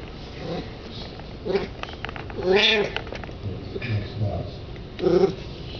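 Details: Al, a 20-year-old cat, calls while chasing a chipmunk on the other side of a window; a short harmonic meow near the middle, with fainter chirps before and after over a steady background hiss.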